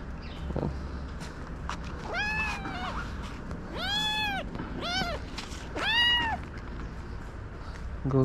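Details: Street kitten in Morocco, attacked by stray calico cats and then rescued: a run of loud, drawn-out, arching meows, four or five in a row, with a person speaking softly nearby and background street noise.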